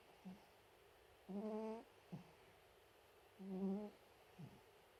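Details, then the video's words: Chihuahua snoring indoors: soft, humming nasal snores with a low tonal buzz and stacked overtones. Two drawn-out breaths come about two seconds apart, each followed by a short, faint snuffle. "いびきをかくチワワ(Snoring dog)"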